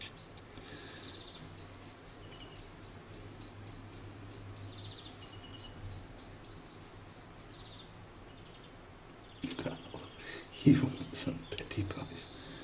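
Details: Hand-reared orphan grey squirrel kit named Charlie, roughly a week old when found cold and hungry below his nest in a garden; a steady string of high, thin repeated squeaks for about eight seconds, then louder rustling and handling knocks.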